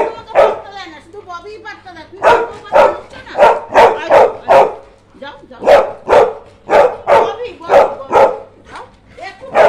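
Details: Labrador Retriever barking in a long run of rough, sharp barks, roughly two or three per second with short pauses, while a faint human voice is heard early on.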